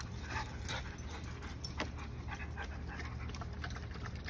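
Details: Large 110 lb German Shepherd worn out from running and playing with a 50 lb Belgian Malinois, breathing in quick, breathy rasping bursts about every third of a second over a steady low rumble, likely wind or handling noise.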